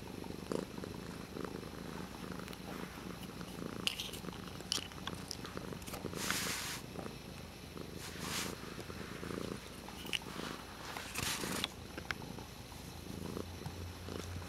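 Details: A cat named Dutchess toys with a water bottle lid; a soft, uneven low purr is joined by several brief rustling bursts and clicks as the lid is batted about.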